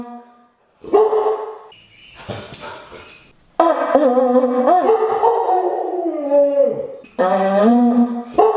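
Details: Siberian Husky kept as a pet throws a howling tantrum at a conch shell horn, with wavering, bending howls rising and falling over several seconds, a brief noisy scuffle before, and a further howl at the end.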